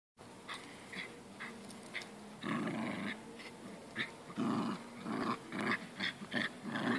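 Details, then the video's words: Two Jack Russell Terriers playing a tug game of who is stronger, growling in repeated rough bursts that grow louder and more frequent toward the end, with short gaps and faint room noise. "Jack Russell Terrier spielen"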